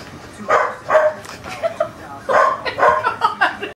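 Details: Young corgi pup, eight and a half weeks old, excitedly kissing and biting its mother dog; a rapid series of short, sharp barks and yips, bunched in bursts over several seconds, with some voice mixed in.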